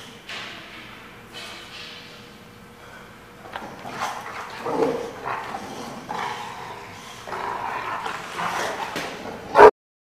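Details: Dog recorded on 15 June 2015: softer, scattered barks and whining yips spread over several seconds, ending with a sudden sharp bark.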